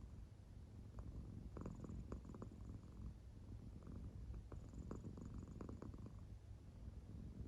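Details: A soundly sleeping American Shorthair cat purrs in a low, steady rumble, its belly moving with each breath; short throbbing pulses surface between about one and six seconds.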